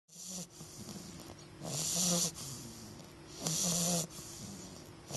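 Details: English bulldog puppy named Augustus asleep, snoring in a Christmas holiday setting: two long raspy inhalations with a harsh hiss and low rumble, separated by quieter breathing.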